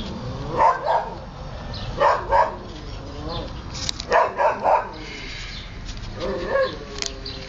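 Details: Playing, eating Siberian Husky puppies yelp in short, high barking bursts, often in doubles or triples, roughly every one to two seconds, each yip sharp and harmonic over a low background hum.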